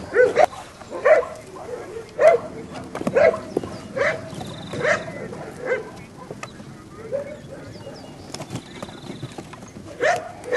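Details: Seven-and-a-half-week-old Belgian Malinois puppies at play on a rubble pile of obstacles; scattered bright yips and short whines recur every second or so, mixed with low human talk and rustling.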